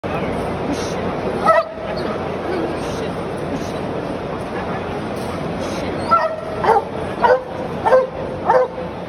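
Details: Belgian Malinois barking: one sharp bark near the start of the second second, then a run of five quick, harmonic barks across the final three seconds, over steady background hum and human speech.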